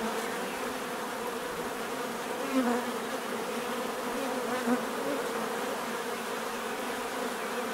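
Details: Bees buzzing naturally, a continuous dense hum with steady banded drones, one insect briefly passing louder and closer around the middle, then fading back into the swarm.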